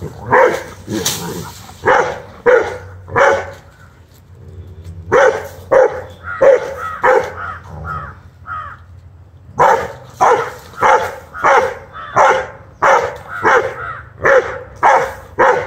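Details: Angry one-year-old Rottweiler puppy confronting a monitor lizard, barking in long runs of sharp, evenly spaced barks roughly every half second, with a short quieter pause of softer yaps midway.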